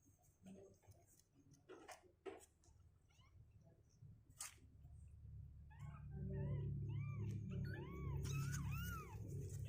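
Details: Kittens two weeks old, leaving their box on stronger legs, start with scattered rustling and clicks, then give a quick series of short, arched high mews in the latter half over a constant low hum.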